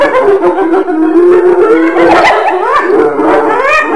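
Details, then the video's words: Overlapping wavering, howl-like tones from hyenas, several pitches sliding up and down together in a continuous dense chorus with no pauses. "Ternyata Seperti ini Suara HYENA"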